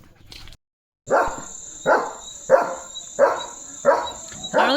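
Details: German Shepherd named Leo, outdoors, dashing off at speed after spotting another dog; after a short silence, six loud barks ring out about every 0.7 seconds over a steady high-pitched whine.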